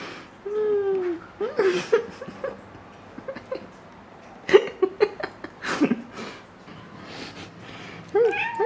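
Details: Indoors beside foxtail grass, a house cat lets out a short, downward-curving meow near the start and another rising mew at the end, with scattered clicks, taps and rustles in between.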